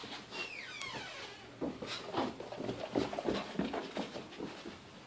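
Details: Indoors, seven-month-old puppy Mochi play-wrestles with her 1.5-year-old brother Churro. A high, sliding whine falls in pitch at the start, followed by a rapid run of scuffling, panting and soft grunting noises from the tussling dogs.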